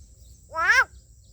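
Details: Single loud, bleating squawk from a big green frog hooked on caterpillar bait while fishing, rising then dropping in pitch over about a third of a second, with low background hum.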